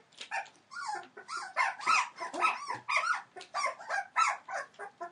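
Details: A litter of Entlebucher Mountain Dog puppies, 21 days old, born 28 December 2013: overlapping high, squeaky whimpers and short yips, several pups calling in quick succession, some notes rising then falling, nearly continuous over five seconds.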